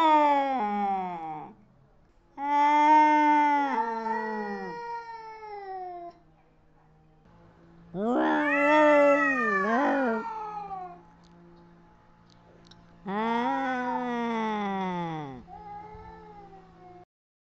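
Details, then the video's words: Cat fight with four long moaning yowls, the third climbing and dipping sharply, each followed by quieter low growling in the gaps. "Cat Fights"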